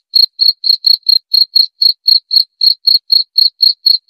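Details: Sharp, high cricket chirps in a quick regular series, around sixteen pulses in four seconds, against complete silence.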